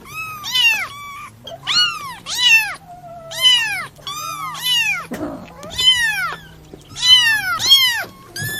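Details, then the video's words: Kitten calls played to attract cats: loud, insistent high meows, mostly in pairs, each bending up then down, repeated steadily with short gaps and a soft low hum underneath. "SUARA ANAK KUCING INI BISA MEMBUAT KUCINGMU KEBINGUNGAN"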